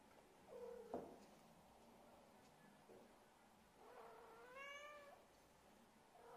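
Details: Siamese kitten (Felis catus), possibly in a bag it jumps out of, gives soft, drawn-out meows that rise and fall, with faint rustling and a click.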